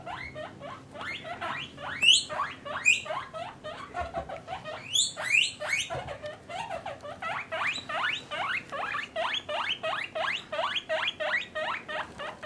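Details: Captive guinea pigs, a mother and her young kept in separate male and female cages, giving a long steady run of rising squealed wheeks, about two per second, with a faint low hum behind.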